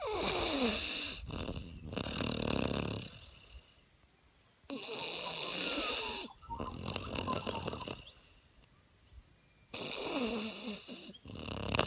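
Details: Moose, a 5-month-old French Mastiff, snoring asleep after a big day of swimming and camping; long raspy breaths in bursts of about two to three seconds separated by quiet pauses.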